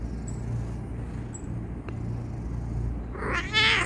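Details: A male pet cat complaining when stopped from kneading; a short loud harmonic meow with wavering pitch arrives near the end, after a steady low hum in the background.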